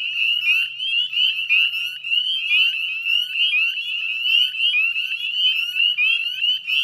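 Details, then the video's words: Dense chorus of northern spring peepers at a salt marsh in West Chezzetcook, Nova Scotia, Canada, at dusk on 18 May 2020: countless high, rising peeps overlapping into a continuous shrill ringing. "Northern Spring Peeper Chorus"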